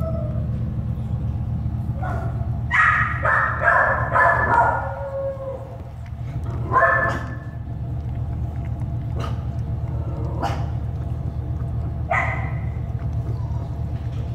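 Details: American Staffordshire Terrier puppies born at an animal shelter: clusters of high yapping barks and yips, several in quick runs, over a constant low hum of shelter noise.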